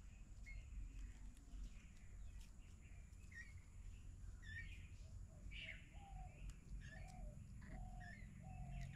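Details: Kittens, three of them with their caring mother cat, in a house storeroom, giving a run of short, thin arched meows, rising then falling, spaced about a second apart, over a steady low hum and faint higher chirps.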